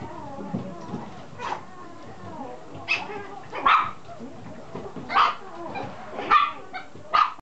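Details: Male red Toy Poodle puppy, fifty days old, from a breeder in Chiba, Japan, giving short high yips and barks every second or so, with a soft human voice murmuring in the background.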